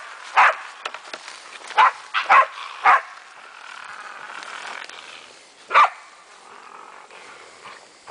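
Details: German wachtelhund named Meya having fun with a raccoon dog, giving a few scattered sharp barks spaced irregularly, with one isolated later bark and quiet rustling between.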